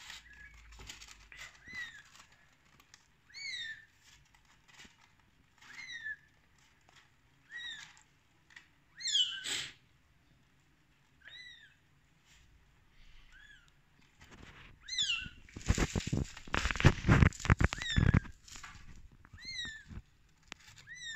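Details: Rescue kittens on their thirteenth day utter short, sharply falling squeaks scattered through quiet stretches, while heavy rustling and thumping bursts dominate the middle and later part.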